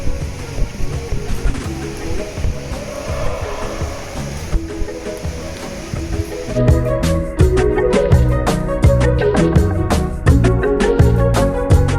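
Music plays over a low rumble of engine or water noise, with no animal sound.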